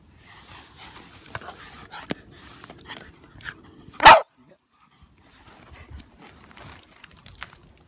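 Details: At a fast-flowing river, a female Jack Russell Terrier gives a single abrupt, loud bark midway after soft praise from people; otherwise quiet rushing water and a few scattered clicks and taps.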